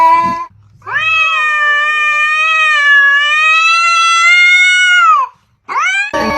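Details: Two domestic cats in a heated argument: one long, loud, drawn-out harmonic meow held for about four seconds, steady then falling at the end, framed by short rising yowls at start and finish.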